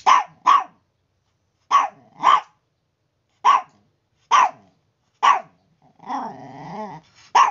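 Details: Chihuahua making a noisy morning racket: sharp, high barks, mostly in quick pairs, repeating every second or two, followed by one longer, wavering growling whine before a final bark.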